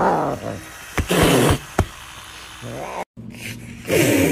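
A serval gives harsh, raspy calls with hissing bursts while asking for food.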